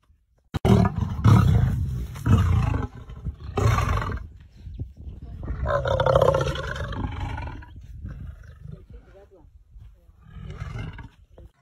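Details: A lion at a zoo gives deep, low, rumbling roars in a series of bursts lasting several seconds, with human voices heard alongside and an exclamation afterwards.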